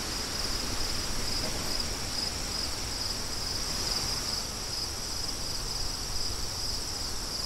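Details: High, sharp cricket chirps repeat rapidly and steadily above a continuous hiss and low roar of wind, the insect pulses staying clear and even for the whole stretch.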